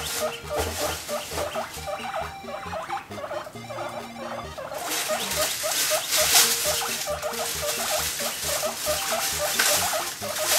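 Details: A pet guinea pig, adopted at one and a half years old and kept in a cage, makes its "mokyu mokyu" voice. Short squeaky chirps repeat almost twice a second over loud background music.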